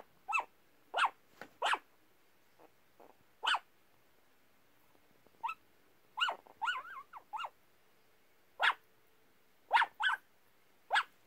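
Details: Yorkshire Terrier mix barking in its sleep: about thirteen short, sharp woofs in irregular bursts, some in quick pairs or triplets, with a few softer muffled notes between them against a quiet indoor background.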